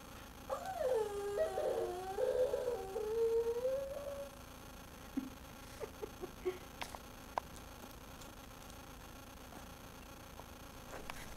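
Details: Gizmo, a pet dog indoors in a dark room lit only by the TV, wanting the bone another dog, Minnie, was chewing. He gives a drawn-out, wavering whine of about three seconds, followed by scattered soft clicks and taps.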